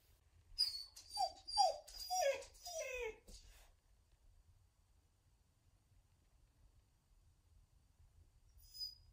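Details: Siberian Husky left home alone, giving a run of about five sad rising-falling whines and howl-like calls over three seconds, then quiet room with a faint high chirp near the end.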